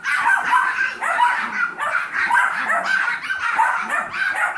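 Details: Several seven-week-old Yorkshire Terrier foster puppies, kept with their mother Maddie and Trouble, a Golden Retriever mix puppy; an unbroken chorus of thin, squeaky barks and whines pulses rapidly for the whole stretch.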